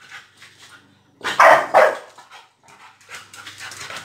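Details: English bulldog before and after eating his meal; two loud, rough, gruff barks in quick succession after a quiet start, with soft snuffling and shuffling noises before and after and a brief human voice.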